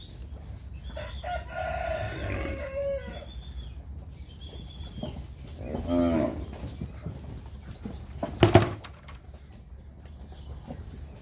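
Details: Nelore and Nelore-cross heifer calves, about ten months old, near Fernandópolis, São Paulo, Brazil; a drawn-out low moo around six seconds amid other cattle calls, with farm background noise and a sharp knock near the end.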